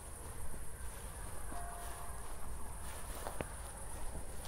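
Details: Night-time crickets near Zwettl, Austria, shortly after a thunderstorm, captured in 24-bit stereo; an unbroken high, even trill fills the background while a few soft footfalls and a low hum sit underneath.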